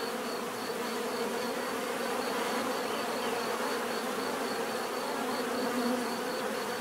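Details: Bees humming together in a steady, dense buzz that swells slightly near the end, with a light, rapid high-pitched tick repeating in the background.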